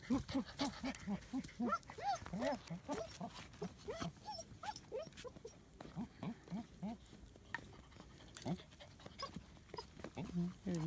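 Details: German Shepherd puppies, almost 9 weeks old, born 15 December 2016, playing outside in Florida on Valentine's Day, 14 February 2017. Short arching yips and whiny barks come in quick bursts, several per second early on, then more scattered.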